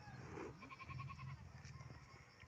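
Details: Pet goats tethered on a hillside and eating in the morning; a single wavering bleat with a quavering, pulsed middle section, against low rumbling background noise.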